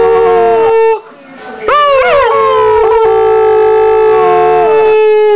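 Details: Six-year-old female pit bull and foxhound mix dog howling on cue while missing her owner's mother, filmed 5/9/09; long sustained tonal howl with rich harmonics, a brief pause, then a rising, wavering howl held steady to the end.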